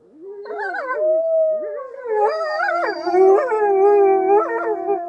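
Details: Wolves in the enclosure at Polar Park, Norway, gathered near the wolf lodge; wavering howls start one by one and build into a layered chorus of sustained tones, one steady low howl held beneath higher bending voices.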